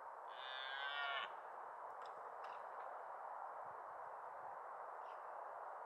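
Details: Deer during the October 2023 rut: one high, whistled call with stacked harmonics that slides upward and lasts about a second, followed by steady background hiss and a few faint clicks.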